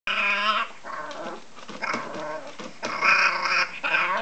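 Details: A female French Bulldog puppy barks like a human baby: long, wavering, harmonic-rich cries open and close the recording, with shorter broken yelps between.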